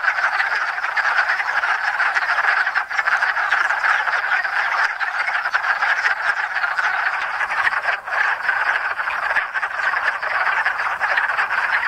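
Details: Hundreds of wood frogs gather at a small pond in Enosburgh in spring to mate after winter in the woods. They form a dense, continuous chorus of overlapping clucking croaks, steady throughout with no other clear sounds.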